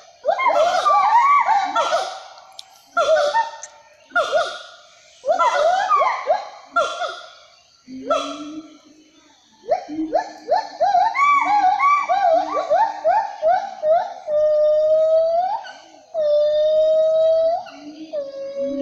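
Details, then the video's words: Siamang, the Sumatran black long-armed gibbon living in trees; loud bursts of rising whoops and barking hoots in a dense chorus, later settling into long wavering tones, with pauses between bouts. "Suara siamang sumatera I Owa sumatera I Gibbon siamang"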